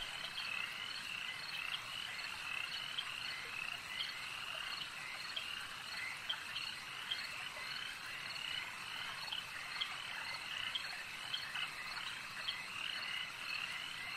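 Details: Dense lake-side frog chorus, many animals calling together in a continuous shimmering mass of high croaking notes, a few louder individual calls popping out every second or so against a steady background hiss.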